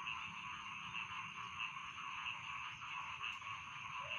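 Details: Rice field frog chorus at night, a constant high trilling drone punctuated by sharp repeated notes about every half second, with a soft low hum beneath.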